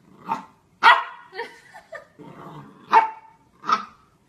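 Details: Corgi dog giving a quick string of short barks and yips, some clipped and some with a brief ringing tail, about six calls in four seconds in a quiet setting.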